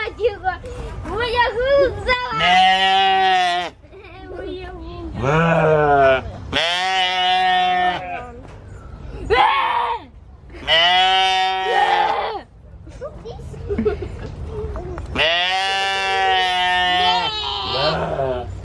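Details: Human-like screaming from a domestic goat: five loud, drawn-out, quavering cries, each about a second long, separated by short gaps, with a person's voice and laughter between them.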